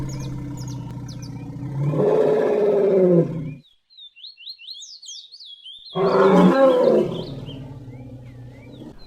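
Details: Elephant calling: a loud, rough, roaring blast rich in low harmonics lasting about a second and a half, a pause, then a second shorter roar, with light music-like whistled tones drifting in the background.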